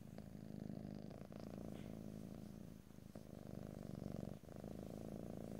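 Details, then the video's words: A cat's soft, continuous low purr, recorded in stereo ASMR style with no talking; an even, throaty rumble with a couple of brief dips. "ASMR Cat: Purring"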